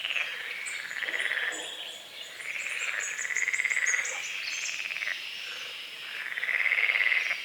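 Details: Morning frogs over a small lake beside a forest, fog on the water: grating, pulsed croaks roll in long overlapping trills, one loud burst near the end, with a twittering bird phrase above midway.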